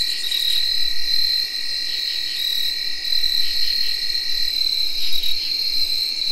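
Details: A night chorus of tree crickets in early October 2021: many overlapping whirring trills hold steady at a high, ringing pitch. Field crickets chirp and brief pulsing katydid calls surface now and then above the unbroken drone.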